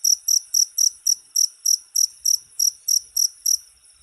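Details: Rapid high-pitched cricket chirps, around three each second, each a short buzzy pulse, fading out near the end with silence behind.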